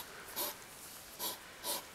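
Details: Evening squabble between two hedgehogs in a yard, July 2009, an older presumed male backing off from a young female: three soft, hissing puffs spaced about half a second apart over a faint hiss.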